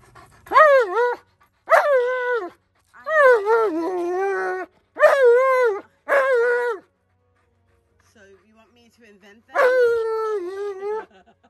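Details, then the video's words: An Alaskan Malamute named Tonka yells at his owner, demanding something: a run of five long, talky, wavering howl-like vocalisations, a pause with faint murmurs, then one more drawn-out yell. "Tonka Yells At Me And Demands Protection of The Rubber Kind"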